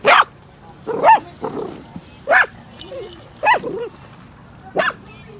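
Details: Miniature Dachshund kept as a house pet, reacting with barks to dog sounds from TV or outside; a few spaced single barks about once a second, with soft whiny murmurs between them.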